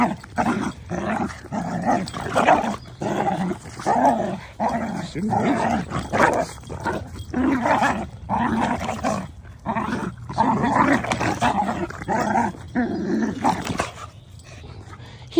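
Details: A Mini Dachshund and a Boston Terrier at frisbee time, tussling over the toy with rough, throaty play-growls in pulsing bursts about one to two per second, briefly pausing, for around fifteen seconds; a person's voice eggs them on.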